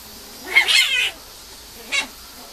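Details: Female Mame Shiba puppy: a high, harmonic whining cry lasting about half a second, then a short second squeak after a pause, against a quiet background.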